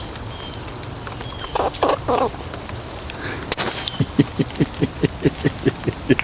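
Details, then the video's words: A wild squirrel feeding outdoors in a rain shower, holding a nut and growing more aggressive as it is poked and petted, gives a few soft, breathy bursts, then a steady run of short squeaks about twice a second. "Wild pet squirrel making squeaking noises"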